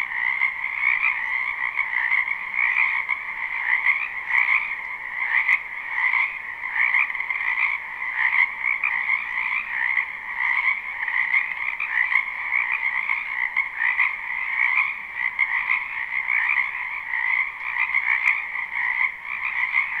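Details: Frogs croaking in a spring wetland behind a house, live recording: a dense, continuous chorus of many overlapping trilled calls, steady pulsing throughout with no pauses, no other sounds standing out.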